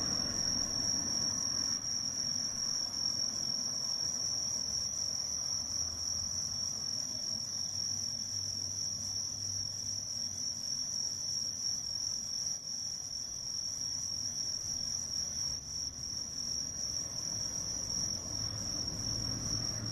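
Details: On 18 September 2024, under the mid-autumn full moon, a bell cricket sings a continuous shrill, even whistle-like tone without pause, with a low background hum beneath it.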